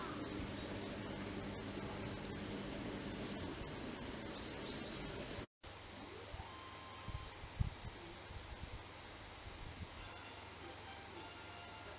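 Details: Steady broadband hiss with soft rustling and a brief dropout near the middle; no animal calls stand out.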